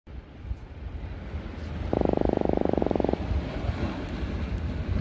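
An Atlantic croaker gives a fast, buzzy drumming croak lasting just over a second, over a low rumble.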